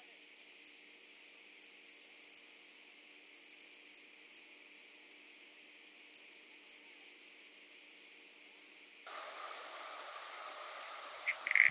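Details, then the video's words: Calliptamus italicus, the common pincer grasshopper, recorded on Pag, Croatia, on 2 September 2019: a rapid run of about a dozen high, scratchy pulses, then scattered single chirps with pauses, followed by near silence. "Calliptamus italicus -- Italienische Schönschrecke -- Common Pincer Grasshopper"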